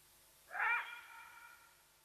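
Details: One hoarse, harmonic yelp with a trailing fade from a side-striped jackal at Nkorho in the Sabi Sands Reserve, South Africa, revealing the leopardess Watika nearby; otherwise quiet with faint steady hiss.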